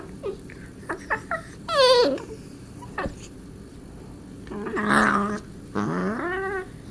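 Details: While playing with Marvin, Darla the cat makes alien-like sounds: a few quick high chirps, a descending harmonic squeal, then a louder rough burst and a final rising, wavering call.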